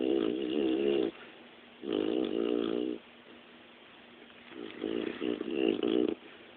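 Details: A dog asleep and snoring, giving three rough, vibrating breaths about a second long with short gaps, the last one broken into choppy snorting pulses.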